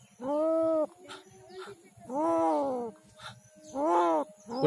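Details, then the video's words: Street cat in Kishoreganj, Bangladesh, badly bitten by dogs and dying, crying in pain: three long, drawn-out wailing cries of almost a second each, with quiet gaps between them and a faint steady hum behind. "Street cat crying to survive but no one come to rescue"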